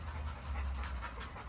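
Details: A Great Dane breathes hard in quick, rhythmic puffs of airy noise, short bursts repeating several times a second over a strong, steady low rumble.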